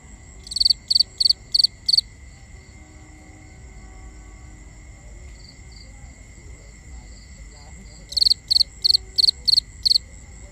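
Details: Night crickets in a binaural nature ambience: a run of five bright, high pulsed chirps, a quiet gap with faint distant chirping, then a second run of six chirps, above a soft steady hiss and low background rumble.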